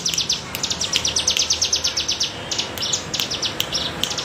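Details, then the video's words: Cigun cicada buzzing in the bergelombang manner, meant as tutor sound for songbirds: fast, high grating pulses about three per second, swelling and ebbing in waves over steady background hiss. "BREN CIGUN bergelombang"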